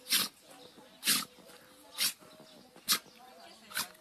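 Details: A dog sneezing and shaking its head, giving five sharp, breathy bursts about once a second, each a short hiss of noise against a quiet background with a faint steady hum.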